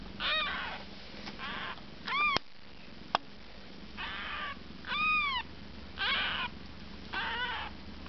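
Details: Siamese kittens eight days old, relaxing after feeding while their mother Kookos tends them, repeat arched, downward-curving mews about once a second, in bursts of six calls over eight seconds, with soft handling noises and a faint steady hum.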